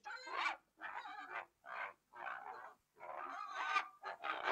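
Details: Pig giving a string of short, harsh squealing grunts, each under a second long and separated by brief silent gaps, with a louder, longer squeal near the end; no other sounds.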